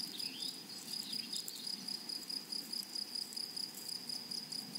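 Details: Grasshoppers of a flowery prairie meadow keep up a shrill, sizzling pulsed buzz at a fast, even tempo, with a few faint high chirps near the start.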